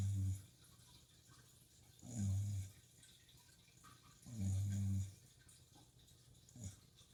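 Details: Sleeping Shiba Inu snoring at night by a fish tank, deep resonant snores about every two seconds, three long ones and a short final one, with steady aquarium water trickling underneath.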